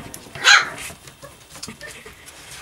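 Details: Savannah and Jericho, puppies playing and chasing around a barn during morning chores. One sharp, high bark stands out early, followed by faint rustling and quiet background noise.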